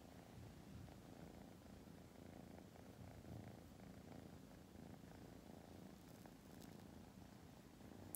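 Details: Purring of a young female tortoiseshell rescue kitten, born August 2020: an unbroken, soft, low rumble pulsing evenly for about eight seconds, with a faint click near the end and no other sounds.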